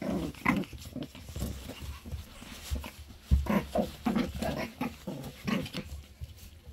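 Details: Three Shih Tzu brothers: quick, rhythmic, breathy puffs with low snorting grunts, several bursts each second, some puffs louder and rougher, over a steady low background hum.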